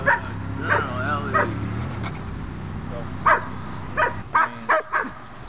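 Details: Young dog in bitework training barks in quick single yaps with a brief whine, about eight barks, over a low droning background.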